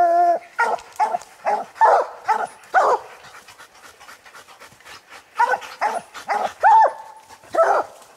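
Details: Three coon dogs, Lucky, Mossie and young Star, baying a raccoon they treed: a short bawl opens a fast run of barks, a lull, then more barking with one brief held note near the end.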